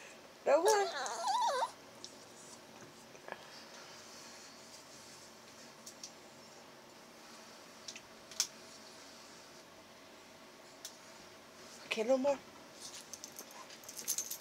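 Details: Chihuahua puppy Cashew 'talks' with a long wavering, moaning whine early on and a shorter one near the end. His ears are being warmed by blowing. A woman speaks quietly, and there are light clicks in an indoor room.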